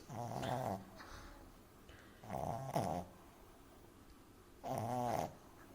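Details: Amy, a French Bulldog puppy, snores loudly while asleep in a person's arms indoors; three harsh, rattling snore bursts with clear harmonic buzz, spaced about two seconds apart, quiet between breaths.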